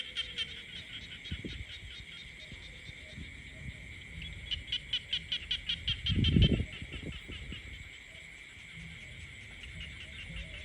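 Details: A countryside frog chorus hums steadily at high pitch while one frog delivers a burst of quick pulsed croaks midway, briefly covered by a heavy low thud, with scattered soft knocks elsewhere.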